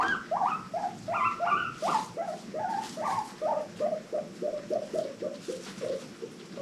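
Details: Pet guinea pigs from a rescue-adopted herd of five giving happy wheeks: a quick run of short, rising squeaky calls, about three per second, stepping slightly lower in pitch as the series goes on, over faint low chatter.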